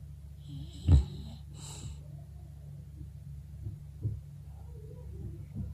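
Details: English bulldog Birdie snoring in her sleep: one sharp snorting snore followed by a breathy, hissing exhale, then quieter soft breaths against a low room hum.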